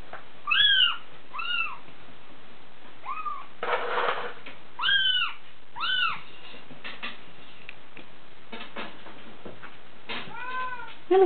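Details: Six-week-old Bengal kitten DeeDee, born 13 January 2014, mewing repeatedly: clear, high, arched meows, some in quick pairs, with a brief burst of rustling noise between them indoors.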